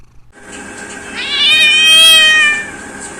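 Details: Domestic cat giving one long, loud meow that rises and holds steady, then fades, with rich bright overtones against a quiet room.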